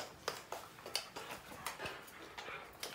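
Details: Siberian Husky named Bunta, a pet indoors at home, giving short breathy broadband puffs, roughly two per second, some with faint whining tones, in a quiet small room.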